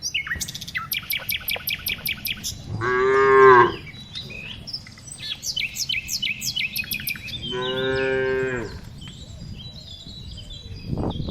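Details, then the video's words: During afternoon herding of tame cows, two drawn-out moos rise above constant busy bird chirping and a low rumbling background. "Cows Sounds"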